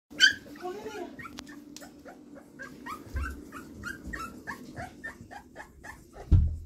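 Bull Terrier puppies give rapid, high squeaky yips and whines while play fighting.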